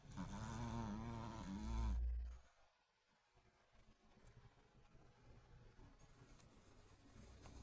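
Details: Loud snoring from a sleeping Chihuahua: one long, harmonic, buzzy snore lasting about two seconds, ending in a deep low rumble, followed by soft, faint breathing noise.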